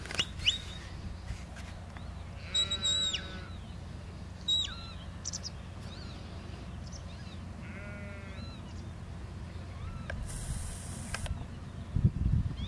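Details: Lamb being herded in a field by a working border collie; several short, tremulous bleats spread across the recording, with thin high bird chirps and a steady background hum of wind.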